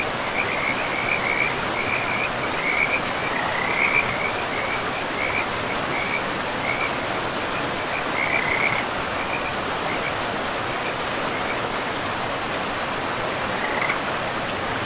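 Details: Forest river frogs give rapid runs of brief trilled chirps, dense during the first nine seconds and then sparse, set against the steady hiss of rushing river water in a pristine, moss-covered woodland.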